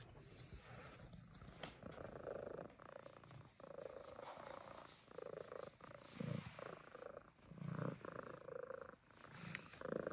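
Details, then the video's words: Loud rhythmic purring from Cracker Jack, a Siamese cat living on a farm animal sanctuary: a pulsing motor-like rumble that swells and fades with each breath, about every second and a half, with light rustling. "Siamese Cat Cracker Jack Has The Loudest Motor."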